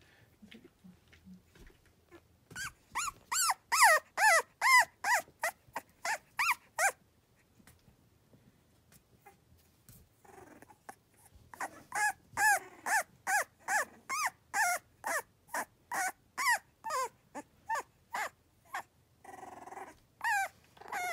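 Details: Cavalier King Charles Spaniel pups, three weeks old, in fall, giving the 'tiger rrrr' rolling sound typical of week three: two long bursts of rapid, squeaky, wavering yips, roughly two per second, separated by a quiet pause.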